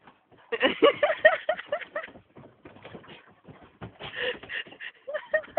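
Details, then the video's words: Akitas at play, several dogs together: rough, grumbling growls with short rising-and-falling whiny yelps repeated in quick bursts, a brief lull midway, then another run of rumbling play noises. "AKITAS PLAYING"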